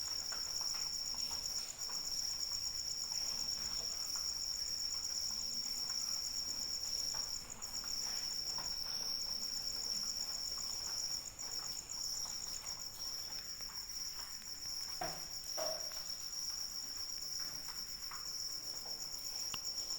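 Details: Crickets calling in the rain, for a sleep and relaxation track: a steady, high, ringing trill that runs the whole time with faint pulsing, over a soft wash of rainfall and scattered drips.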